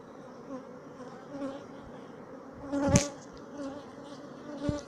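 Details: Sicilian black honeybee colony, dated 2017. A continuous low buzzing hum with steady tonal bands is heard, broken by a sharp knock near the middle and a softer one near the end.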